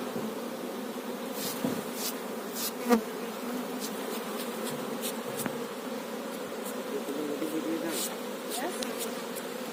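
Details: Steady massed humming of honey bees working a farmed hive, broken by a single knock and scattered soft clicks.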